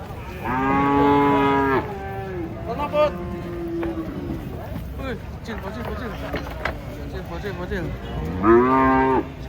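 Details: Giant cattle described as aggressive, being unloaded from a truck: a loud, harmonic, drawn-out moo lasting over a second, then shouted warnings and talk, then a second long moo at the end.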